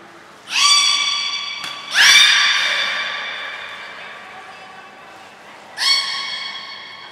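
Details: Belugas Gray, Nana and Mirai in training at Port of Nagoya Public Aquarium, June 7, 2022: three bright, harmonic-rich whistles, each starting abruptly and holding a steady pitch before slowly fading, echoing in a large indoor hall.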